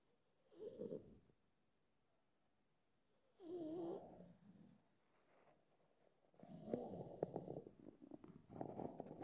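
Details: Pug Mogli, drowsy and pondering sleep, makes wheezy, snoring snorts in three bursts: a short one, a longer rattling one around four seconds, then a sustained rough, snuffling stretch at the end.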